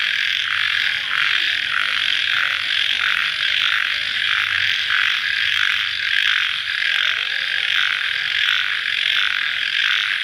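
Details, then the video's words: Just after rain at night, many crickets form a thick, high-pitched ringing drone, gently pulsing about once a second and staying even in loudness from start to finish. "Suara Jangkrik Dimalam Hari Sesaat Setelah Hujan"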